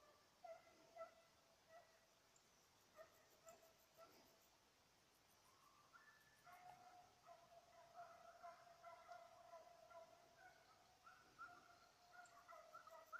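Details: Petit Basset Griffon Vendéen after a rabbit, 05/10/2014: a few spaced yelps at first, then a long, almost continuous stretch of high, overlapping baying heard faintly at a distance.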